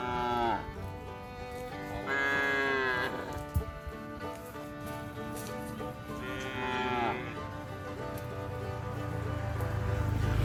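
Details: Free-range cows grazing loose in green grass pasture give several drawn-out moos, each a deep, rich bellow that swells and bends in pitch before trailing off, over a low rumble and faint hiss that grow slightly louder toward the end.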